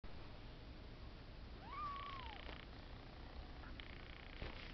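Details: Exotic Shorthair kittens at four weeks old, a cream male and a red female, give one thin rising-then-falling mew lasting under a second, over steady low background hum.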